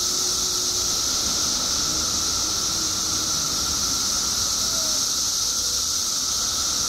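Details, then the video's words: Billions of periodical cicadas emerging in Illinois after 17 years underground produce a continuous hissing, whining wall of sound, high and even, with a faint lower tone beneath and no pauses. "Billions of Periodical Cicadas Emerge After 17 Years Underground Cicadas Making Noise Illinois State"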